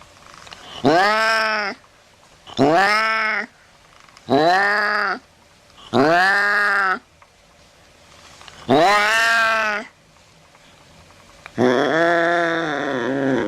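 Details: Cat calls used to drive rats off: six loud, evenly spaced meows, each about a second long and slightly arching in pitch, ending with a longer wavering yowl.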